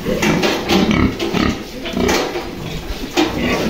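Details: Purebred Yorkshire grandparent-line sow kept on a farm, first-time farrowing: a run of short, low, rough grunts repeated every half second or so, over a constant hiss of farm noise.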